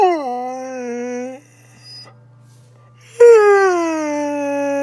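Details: Pet husky talking indoors: two drawn-out, harmonic howl-like moans, the first sliding down then holding steady, the second starting high and slowly falling, with a quiet pause between and a low steady hum underneath.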